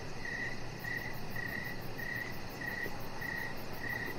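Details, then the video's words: Evening cricket chirps recorded outside by a deck: seven evenly spaced, high, trilled pulses about every 0.6 seconds, with a faint, rapid high ticking and a low, steady background hum. "Cricket Sounds"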